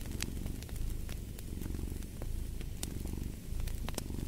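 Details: Deep, throbbing purr of a cat, rising and falling with each breath, with bright clicks and pops from a crackling fireplace scattered throughout.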